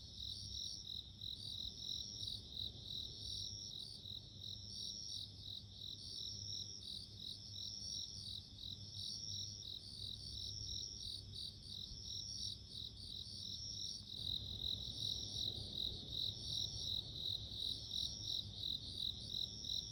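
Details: Bell cricket (suzumushi) chirping in a natural setting: high, bright, ringing pulses repeated rapidly and continuously, with several callers layered together. The chorus grows louder and denser after about fourteen seconds, over a faint low hum.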